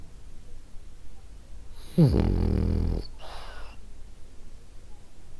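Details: Sleeping female French Bulldog snoring: a single loud, low, rasping snore lasting about a second, preceded and followed by soft, quiet breathing noise indoors.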